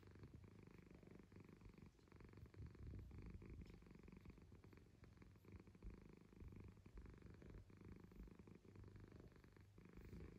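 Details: Roky, a domestic cat, purring steadily: a low, continuous rumbling throb that holds an even loudness for the whole stretch, with faint high chirping from birds in the background.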